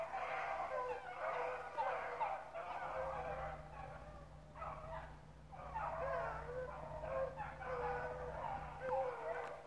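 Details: Hunting dogs running rabbits at Relay Hunt club, a bunch of pups mixed in, bay together in repeated bursts of wavering cries separated by brief pauses. A low steady hum and occasional human voices sit beneath.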